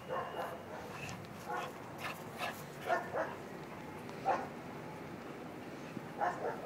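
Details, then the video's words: Playful Bull Terrier in Ecuador barking in short, hoarse, irregularly spaced yaps, roughly one every second or two, with low background noise between them. "Bull Terrier Playing"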